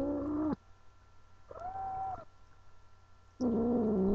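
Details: Angel, a pet female cat, yowls in protest at not wanting to be held, sounding like a wild animal: three drawn-out harmonic wails, the first and last long and wavering, a shorter steady one between, with quiet gaps.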